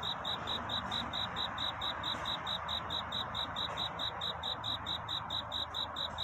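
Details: Courting cricket at night, steady high-pitched chirps pulsing at an even rate of roughly two per second, crisp and regular over a quiet background of soft hiss.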